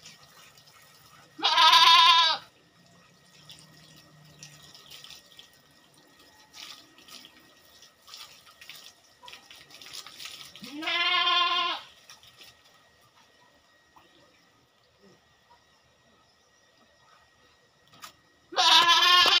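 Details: Farmed goat bleating during a goat keeper's routine chores, done once every two weeks: three strong, quavering bleats of roughly a second each, spaced about eight seconds apart, with soft clatter and rustling in between.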